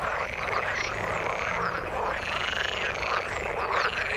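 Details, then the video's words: Frogs calling in the water: a dense, unbroken chorus of overlapping rasping croaks and trills at mid pitch, steady in loudness throughout, with faint higher chirps scattered above. "Frog sound in the water"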